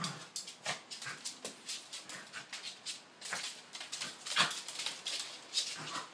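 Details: One of two corgis playing indoors on a rainy day gives a quick run of high, thin yips and whimpers, several each second.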